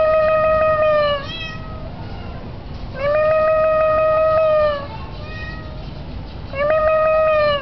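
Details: Tomcat perched on a roof on a very windy day, calling to his owner: three long, drawn-out harmonic meows, each about one and a half seconds, steady in pitch with a slight rise and fall at the ends, spaced by gusty wind noise.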